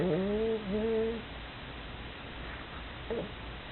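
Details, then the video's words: Female pug snoring indoors after tiring herself out with play: one drawn-out, tonal, slightly wavering snore in the first second, then quiet breathing and a brief faint snort near the end. "Snoring of the pug（パグのいびき）"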